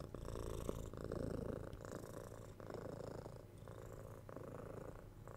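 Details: Quieter purring from a domestic cat recorded up close. Low pulsing rumble with a slightly brighter, raspy edge, alternating in smooth in-and-out breath cycles about every second.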